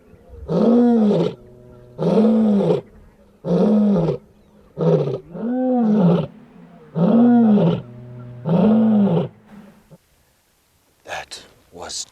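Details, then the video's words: Two lionesses with cubs, hunting on open grassland near Chitabe Camp, Okavango Delta, Botswana, roar like male lions: loud moaning grunts about every second and a half, heard close by; such roars carry several miles. "This is only the second time that I've ever heard lionesses vocalizing like male lions."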